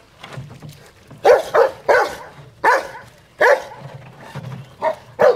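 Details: Rottweilers playing in water, with loud, harsh barks coming in short bursts and doubled pairs across a few seconds, separated by quieter low rumbling and splashing.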